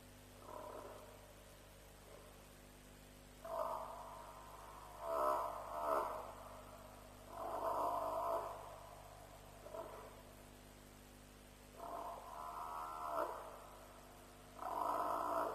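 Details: Repeated distressed-sounding bawls from African buffalo at a lion kill, Djuma, about 3 am on 7 March 2007, live-streamed; six or seven wavering, harmonic calls in irregular bursts over fifteen seconds, steady background hum throughout.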